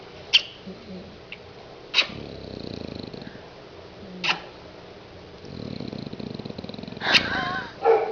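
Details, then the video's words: Snoring bulldog named Kate: two long, rough, pulsing breaths rumbling low, broken by a few sharp clicks and taps in a quiet room. "Kate bulldog roncando"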